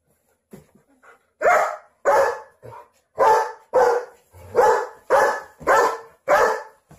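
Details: German Shepherd guard dog protecting babies and kids, barking in a steady run of loud, harsh barks about once every half second after a few soft starting yips, with no other clear sounds.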